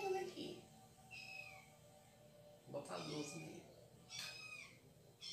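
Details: Domestic cat meowing indoors during a morning coffee routine at home. A short falling high meow is followed later by a longer arched one, with a man talking in Portuguese and light household sounds around them.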